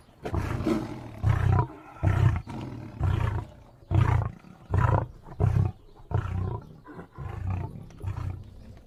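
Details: Deep booming roar series from a lion: around a dozen rhythmic, grunting bursts over nine seconds, steady at first, then shorter and closer together, all low and rasping with near silence between.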